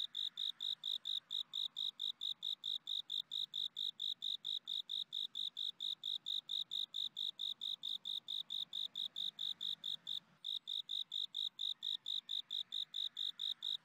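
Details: A cricket, kept by a cricket breeder, chirps steadily, a fast run of high, bright pulses repeating without pause.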